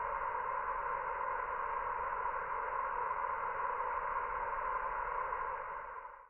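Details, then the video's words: Gozo villa garden alive with thousands of cicadas, their continuous droning buzz holding steady before fading out abruptly at the very end. "Gozo's noisy Cicadas"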